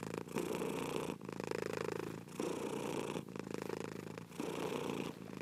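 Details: Domestic cat purring steadily, long rumbling breaths about a second apart with brief pauses between, close and continuous.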